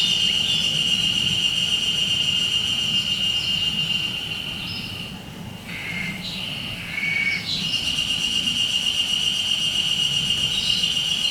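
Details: Haruzemi cicada, singing when few cicadas are heard: a sustained shrill, even tone that fades midway while briefer, lower whistled notes sound twice, then resumes at full strength to the end.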